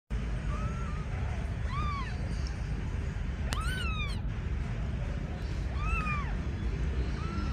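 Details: Agitated kitten meowing: about five short, arched, high meows scattered through the clip, some faint, over a steady low rumbling background noise.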